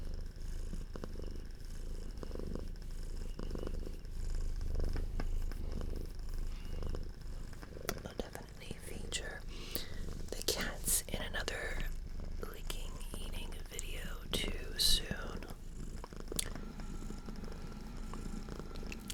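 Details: Purring of a pet house cat, a female adopted at two, close to the microphone in a quiet room; steady low rumble under soft whispered talk, with scattered clicks and taps.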